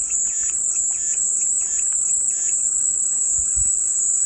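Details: Cicada song offered as calming white noise: a steady, unbroken high-pitched buzzing drone, with faint soft chirps and patters in the background and a brief low thump near the end.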